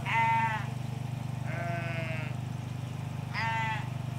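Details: Three bleats from ewes and lambs in a Hampshire field near a hedge, each under a second long: a loud wavering first, a lower, flatter, longer middle call, and a final shaky one, over a continuous low drone.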